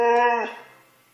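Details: Moe the husky, excited before going to the dog park, gives one short harmonic howl-like vocalisation lasting under half a second and then fading, indoors, with a person asking about the dog park just before.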